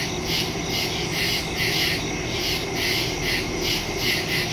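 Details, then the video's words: Woods at night in early September, crickets calling: evenly spaced bright chirp pulses about twice each second, riding on a continuous shrill insect buzz, with a soft low-frequency background hum, phone and stereo microphone recording. "Crickets in the woods at night"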